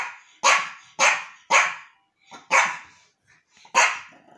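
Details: Yorkshire terrier named Archie reacting to a new toy: five sharp, high barks spaced about half a second apart, then a pause and one more bark, each bursting loud and fading quickly.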